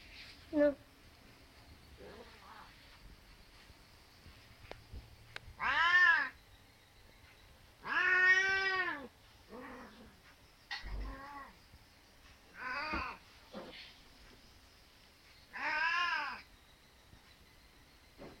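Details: An Angora cat looking for its mate gives long, drawn-out meows, each rising then falling, spaced a few seconds apart; Angora cat.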